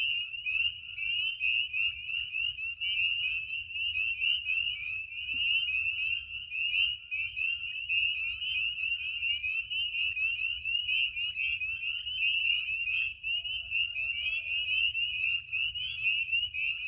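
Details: Spring peepers at night under the moon in early spring at warming vernal pools in Maine: a dense chorus of countless high, piercing peeps merging into continuous shrill ringing; a barred owl may hoot occasionally.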